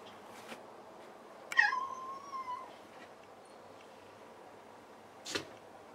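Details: Indoor cat calling from the floor after a failed jump at a closed high cupboard door, while other cats leap up; one drawn-out meow lasting about a second, sharp start then falling and levelling off, followed later by a single knock.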